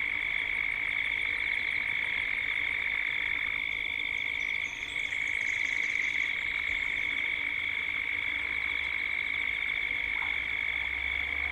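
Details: Cicadas droning at dusk in Gippsland, Australia, recorded as a 3D soundscape. A constant high, pulsing buzz fills the whole stretch, with a few faint bird notes partway through.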